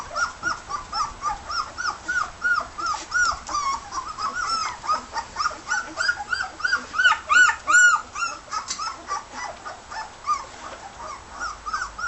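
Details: Several 18-day-old red and white border collie pups eating their solid meal whimper continuously: thin, high, arching whines in rapid overlapping succession, about three a second, with a few sharper squeaks midway.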